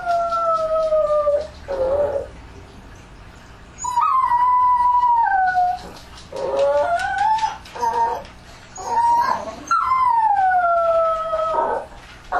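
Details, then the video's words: Nighttime dog howling in an ambient recording, several overlapping voices: sustained sliding howls, some falling and some wavering upward, repeated in bursts a few seconds apart. "Une nuit avec les chiens [Bruit d'Ambiance]"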